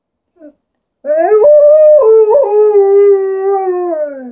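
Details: Alaskan Malamute answering its owner with a drawn-out, yodeling howl: a short chirp, then a three-second tone that wobbles up and down a few times before settling lower and fading.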